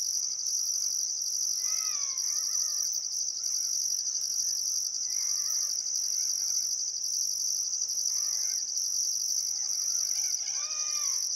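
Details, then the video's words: Crickets chirping on a still summer afternoon at sunset by the Barcoo River, Welford National Park, Outback Queensland, Australia: a dense continuous high trill with a second pulsing band above, while birds give scattered harmonic whistled calls underneath. "Australian Sunset Chirping Crickets"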